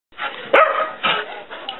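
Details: Hyperactive female dog indoors, running around the house and bouncing off the walls; two loud, sharp barks about half a second apart stand out over a lower, scrappy background of smaller yips.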